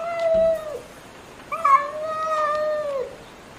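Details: Cats and kittens meowing loudly: two long, steady, drawn-out meows, the second lasting about one and a half seconds and ending in a downward slide, set against a constant hiss of background noise.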